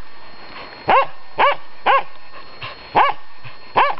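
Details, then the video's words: Finnish Spitz facing off with a raccoon dog, giving sharp, ringing barks spaced about half a second to a second apart, five in all with short gaps. "Supikoira vs Pystykorva"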